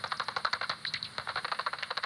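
A common pipistrelle's echolocation calls, heard as a rapid run of dry, smacking clicks while it hunts.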